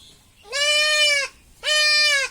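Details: Goat kid of about one month and ten days, bleating while being castrated: two long, strained, steady-pitched cries of roughly a second each, separated by a short pause, a man's soothing voice nearby.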